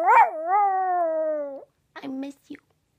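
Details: Chihuahua in a costume giving a sharp rising yelp that settles into a level, harmonic howl of about 1.5 seconds. Brief indistinct voice-like sounds follow.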